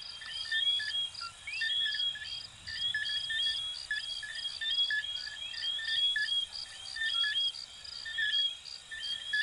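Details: Chorus of coquí frogs from Venezuela and Puerto Rico: a constant mesh of short whistled notes and rising chirps, with a regular high-pitched insect-like pulse throughout.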